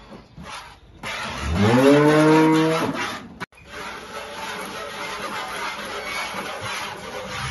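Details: Holstein cow with calf at milking time on a farm in El Salvador: one long, loud moo that rises and then holds steady for about a second and a half, followed by a brief gap and low, noisy farmyard background.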